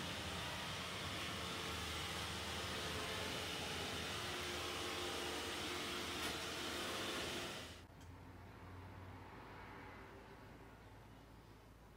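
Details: Loud rushing noise like a vacuum cleaner or hair dryer stops abruptly near eight seconds, leaving a faint low hum and no animal sounds.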